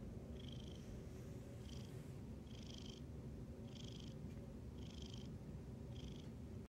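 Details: Very loud purr of a male black cat resting together with its owner on a couch: continuous deep vibrating rumble, punctuated roughly once a second by airy breathing pulses.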